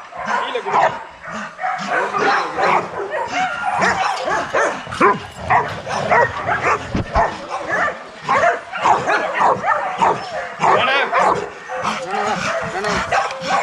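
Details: Kennel-raised young Rottweilers in an exercise yard raising a loud clamour of overlapping barks and higher yips, steady and unbroken across the recording.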